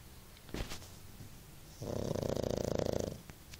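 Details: A pug dozing on a bed lets out one long, rattling, pulsed snore after a couple of soft knocks, then quiet.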